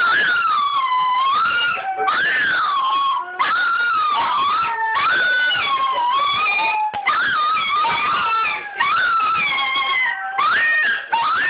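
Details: A Toy Fox Terrier howls in long, wavering, sliding tones, "singing" as it does every time a particular TV commercial comes on, with the music playing faintly behind.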